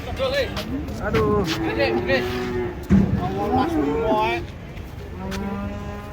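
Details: Cows coming down off a truck moo in low, wavering tones. Overlapping people's voices and calls fill the scene, with a sharp knock near the middle and a softer moo toward the end.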